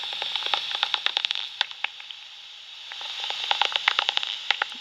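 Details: Pipistrelle bat echolocation from two foraging pipistrelles near Sheffield General Cemetery and the Porter Brook river is made audible as dry, smacking clicks in two bursts, quickening into a raspberry-like feeding buzz as one catches an insect, over steady hiss.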